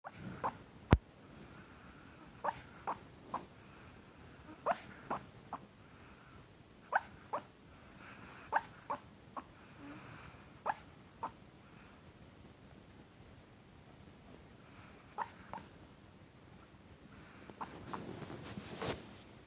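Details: Exhausted Chihuahua asleep, snoring: soft, short nasal snorts recur irregularly about once a second over a quiet room, with a brief rustling burst near the end.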